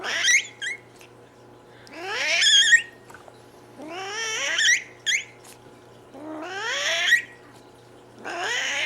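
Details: Cat giving squeaky vocalisations alongside hissing and growling, indoors: five short, wavering squeals, each starting low and sweeping upward into a strained whine, with brief quiet gaps between them.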